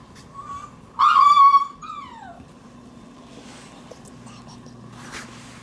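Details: Shiba Inu puppy born January 6, on its third day out in the room and just starting to move around. A thin, high whine swells for half a second, then a short falling whimper follows over a steady low room hum.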